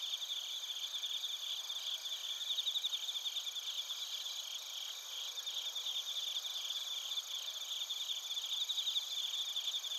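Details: At Narita in Japan's Chiba Prefecture, a chorus of bell crickets and other crickets, recorded with a TASCAM Portacapture X8, keeps up unbroken shrill pulsing trills over constant high ringing, swelling slightly in places.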